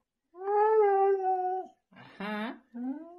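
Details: Siberian Husky indoors holding a steady, tonal howl for over a second, then breaking into two shorter vocal bursts, the last rising in pitch like talking.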